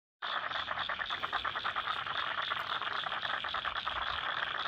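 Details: Frogs calling in a wetland in Lane Cove National Park, Sydney: a dense chorus of rapid rattling pulses, many callers overlapping in a steady mid-to-high pitched band with no pauses.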